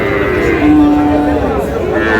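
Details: Friesian and crossbred bull calves at Raniganj cattle market in Dinajpur on 30 July: one steady, low, drawn-out moo of nearly a second, held at an even pitch over a busy background hum of the market crowd.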